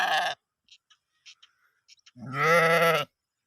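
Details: Sheep grazing in green fields at a village in Gilan, Iran. The tail of one bleat is followed by faint clicks, then a loud, wavering, nasal baa of nearly a second.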